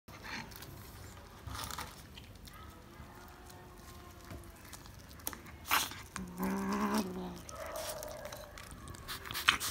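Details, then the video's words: Black kitten named Panthiras reacting to corn indoors; a short, low, harmonic vocal burst sounds around the middle of the clip amid rustling, tapping and chewing-like handling noises. "Black Kitten's Unbelievable Reaction To Corn"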